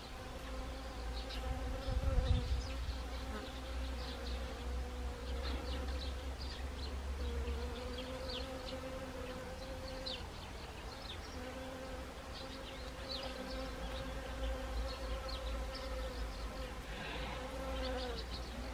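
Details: Several honeybees working wild Siberian chrysanthemum blossoms, Gangwon Province, Korea, on an autumn day, 1 October 2020. A continuous droning buzz swells and dips as bees come and go, with a low rumble, a brief thump, and high chirping behind.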